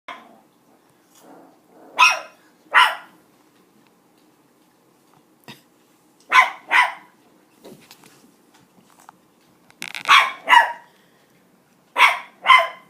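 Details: Chihuahua puppy behaving naughtily: sharp barks in pairs spaced through the clip, with faint growling between them and a person scolding afterward.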